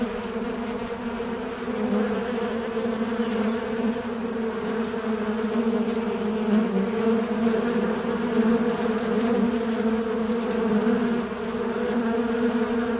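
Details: Steady humming drone of a flying fly, low-pitched and rich in overtones, its pitch wobbling slightly as loudness rises and dips over thirteen seconds.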